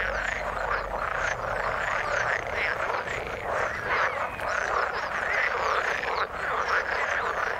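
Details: Many frogs in the water croaking together, a thick continuous wall of short, rattling calls layered over one another, the loudness barely dipping across the whole stretch.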